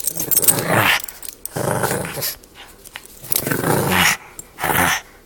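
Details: Pug puppy growling wildly while playing tug of war with a toy indoors: four rasping, throaty growl bursts, each about a second long, separated by short pauses.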